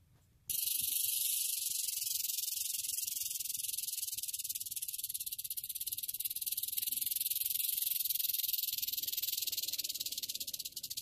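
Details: Sudden onset of a sustained, rapid, hissing rattle from a western diamondback rattlesnake, kept up at an even intensity for about ten seconds with faint low rumbling behind.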